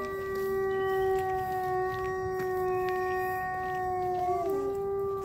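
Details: A gray wolf at a wildlife sanctuary gives a long, steady, mid-pitched howl that dips briefly near the end before rising again.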